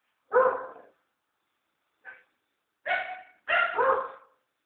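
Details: Guarding the house, the Amstaff named Rex gives three loud, harsh barks and one short, faint one. The final two come close together, with silence around them.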